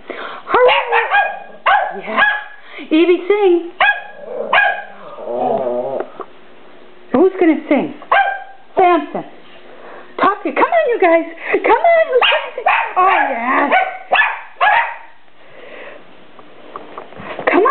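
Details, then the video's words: Papillons, a tri-color named Evie, sables named Samson and Kadin, prompted indoors to 'sing', giving bursts of yappy barks and wavering howl-like yodels, interleaved with a woman's encouraging voice. "Papillons barking"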